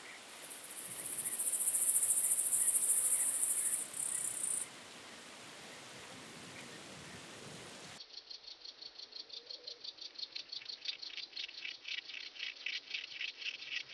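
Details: Myrmeleotettix antennatus grasshopper recorded at Nesvady, Slovakia, on 23 July 2023. A loud, very high hissing buzz runs for about four seconds. After a quiet gap, a fast train of dry rasping pulses follows and grows steadily stronger.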